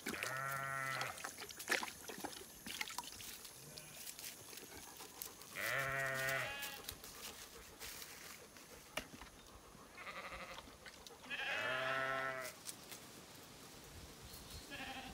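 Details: Shorn Zwartbles ewes on a regenerative farm in County Kilkenny, Ireland, complaining during unusually high heat though their water tank is fine; several harmonic bleats about a second long, spaced a few seconds apart, over a faint outdoor background.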